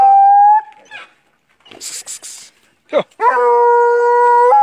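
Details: Paca-hunting dog howling: a sustained tone fades out, then breathy snuffs and a sharp rising yelp lead into a long, steady, strongly harmonic howl held to the end.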